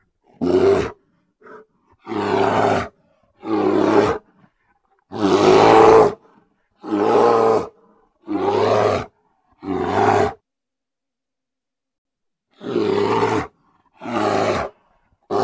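A grizzly bear gives deep, rasping roars, each about a second long, repeated with short pauses.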